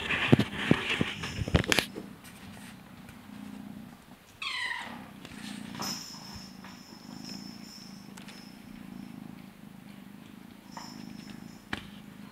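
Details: Blue British Shorthair kittens at play, litter G: rustling handling noise at first, then a brief wavering, rising-and-falling meow near the middle, over a steady low purr-like hum and a faint high whine.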